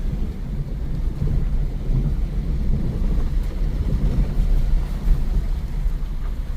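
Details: Heavy low-pitched rumble, like wind buffeting the microphone or an engine running, steady throughout with no animal calls.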